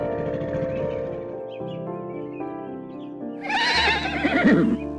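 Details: Horse whinnying: a loud, shaky, quavering neigh that wavers up and down in pitch, rising out of steady background music in the last second and a half.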